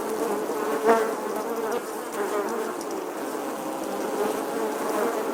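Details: In summer, a bee hums with a continuous, low-pitched, steady buzz that swells briefly near the start as it flies close, then settles back to an even drone.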